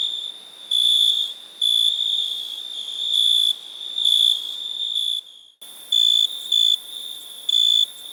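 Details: Several overlapping cricket trills, high and shrill, pulsing in louder bursts; the sound drops out briefly midway, then separate short chirps resume.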